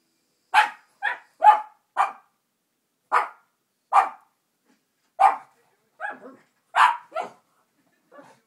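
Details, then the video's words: Pet dogs Benny and Gracie reacting to the dog Minnie on Full House, barking at the TV; about a dozen short sharp barks spaced roughly half a second to a second apart, ending with a softer bark. "Benny and Gracie Reacting To A Dog On TV"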